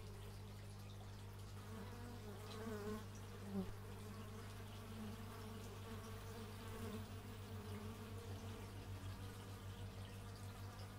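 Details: Outdoor stereo recording of bees from an x/y microphone. A soft, fluctuating buzz swells and fades, with one brief louder pass near the middle, over a steady low drone of distant machinery such as a chainsaw.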